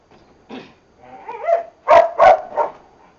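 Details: Boxer dogs during training give a short run of sharp, yelping barks, three to four quick loud bursts in about a second, after softer whining sounds.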